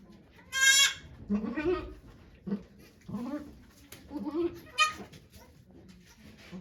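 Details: On 3 May 2023 at Yoshigake Farm, as the goat Okayu gives birth to two kids before volunteers, a loud quavering bleat opens the recording. Soft voices follow, then a second short, sharp bleat.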